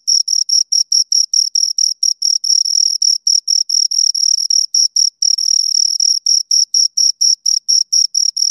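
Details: Shrill cricket chirping from two insects, quick pulses alternating with stretches where the chirps merge into an unbroken high trill, then separating again; otherwise silent.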